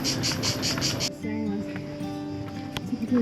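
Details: Cicadas on the hillside by the city walls of Kotor, Montenegro, on a hot day give a buzzy, pulsing high-pitched song for the first second, then music and voices follow.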